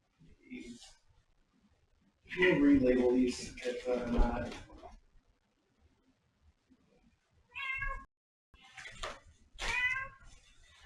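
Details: Domestic cat meowing indoors: after several seconds of human talking, two clear, tonal meows ring out, the second drawn out and slightly falling, with a short gap between them and quiet room sound around them.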